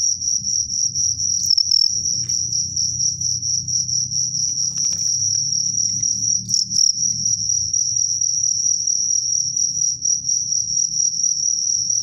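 Crickets give a continuous high, shrill trilling chirp while fighting.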